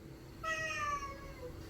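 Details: A stray cat that comes every day asking for food gives one drawn-out, harmonic meow lasting about a second and a quarter, its pitch sliding gradually downward and fading at the end, over a low steady background hum.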